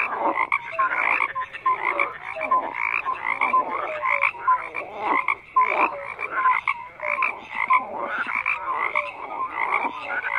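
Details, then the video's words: Many frogs croak at once in a continuous layered chorus: rough, pulsing croaks mixed with brief bright whistled notes recurring every second or so. "FROGS CROAKING"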